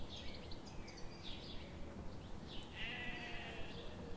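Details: Grazing sheep in a forest on a sunny morning give a few soft, reedy bleats, the clearest near the end, while faint bird chirps and a steady background hiss with light rhythmic clicks continue.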